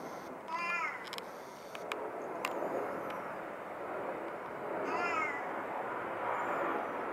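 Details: Domestic tuxedo (hachiware) cat, described as very vocal, gives two falling meows about four seconds apart over a steady loud broadband hiss, with a few sharp clicks between them.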